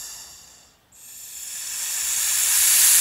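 A European viper gives a dry, breathy hiss that fades, pauses briefly, then swells into a long, rising hiss.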